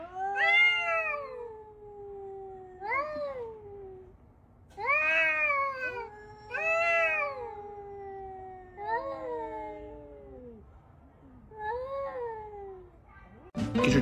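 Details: Domestic cat meowing repeatedly, about seven drawn-out, wavering yowls that bend upward then sag, spaced one to two seconds apart over a quiet background, ending with a sudden loud clatter.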